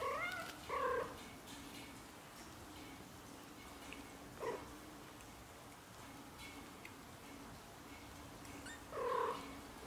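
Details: Growing British Shorthair kittens, under a month old: three drawn-out, wavering meows, the first two close together and the last near the end, with short quieter sounds between over a steady low background hum.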